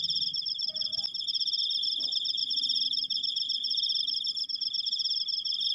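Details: Cricket recorded firsthand, its high rapid-pulsed trill droning on without pause, with a click and a couple of faint low sounds early on.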